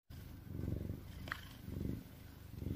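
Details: An Oriental cat named Sir Henry, lying in a bag and falling asleep after a hard day, purrs steadily while snuffling and puffing, a low rumbling throb that swells and fades with each breath.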